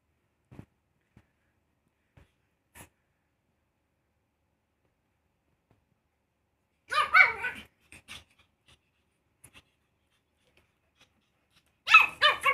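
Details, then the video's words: Pug puppy barking: after a quiet start with faint taps, a burst of high, yappy barks and yips arrives around seven seconds, followed by a second sharp cluster near the end, all in a small indoor space. "Cute Pug Puppy Barking"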